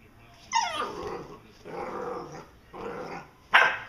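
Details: Vizslas play fighting in August 2012, two dogs: a yelping bark opens, followed by two rough, drawn-out growly bursts and a final sharp bark.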